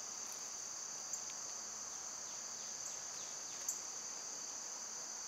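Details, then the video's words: Summer cicadas, loud at this time of year, drone in a steady high-pitched hiss throughout, with two faint, brief bird chirps breaking through near the first and fourth seconds. "Birds & Squirrels w/ Cicada sounds"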